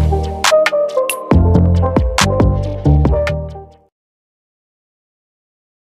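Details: Electronic music with heavy bass and sharp percussive hits plays for about four seconds, then stops; no animal voice is heard.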